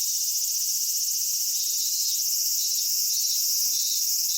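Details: Summer cicada chorus recorded at Kitakami, Japan, at Michinoku Folk Village and Kitakami Tenshochi, with minminzemi and higurashi. A continuous high, hissing drone holds steady throughout, with a faint wavering band rising partway through.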